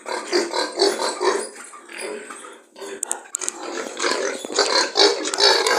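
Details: Farm pigs calling in a piggery: rough, nasal grunting bursts alternating with louder squealing outbursts, several animals overlapping, a short quieter stretch midway and faint clicks.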